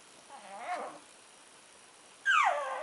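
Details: Two-month-old Shih Tzu puppy giving two short whimpers: a soft, faint wavering whine early on, then a louder, sharper high whine that slides downward near the end, with quiet background between.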